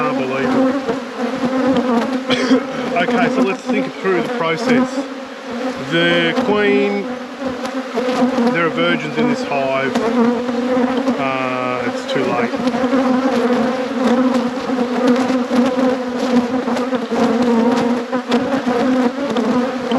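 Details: Apiary honey bees humming around hives at peak production, a constant buzzing band with a few rising and falling tones from bees flying close, plus brief speech-like sounds.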